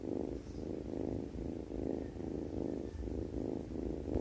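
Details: Cat snoring while asleep, a low raspy rhythmic rumble with evenly spaced swells of breath, continuous throughout in a quiet room.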